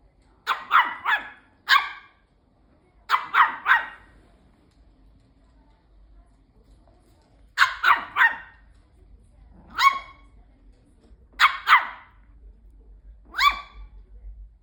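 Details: A Bichon Frise dog indoors, lunging at a robot vacuum, gives sharp, high yappy barks in quick bursts of two to four, with short pauses between volleys and a low machine hum underneath.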